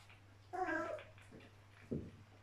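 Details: Playful Border Collie puppies from a small mischievous litter; one pup gives a single harmonic whine lasting about half a second, then a short low grunt, over a steady electrical hum.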